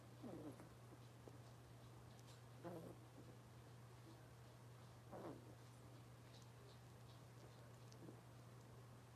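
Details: Robin's litter of Cavalier King Charles Spaniel puppies on a morning kitchen livestream: thin, high squeals and whimpers come every two to three seconds, faint over a steady low electrical hum.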